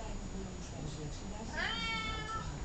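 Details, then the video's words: Columbus, a cat known for being talkative, lets out one meow of nearly a second. It rises quickly and then levels into a long, slightly falling tone. Low indoor hum continues throughout. "Talkative cat"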